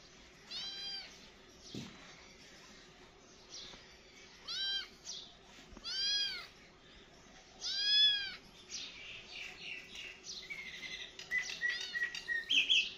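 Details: Kittens meowing: high, thin, arched meows that rise then fall, coming in bursts every second or two, several voices overlapping at times, with brief quieter gaps between calls.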